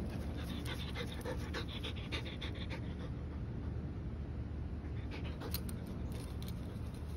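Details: Rex, a 110 lb German Shepherd, worn out from playing and running to keep up with Mya, a 50 lb Belgian Malinois. Rapid, breathy panting comes in quick repeated bursts, pausing midway, over a steady low rumble.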